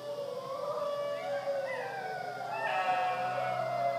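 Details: Dingoes howling at Wirrimbirra Sanctuary, Tahmoor, New South Wales, Australia: long, steady, mid-pitched tonal howls that slide slowly and overlap as several voices join, growing slightly louder toward the end.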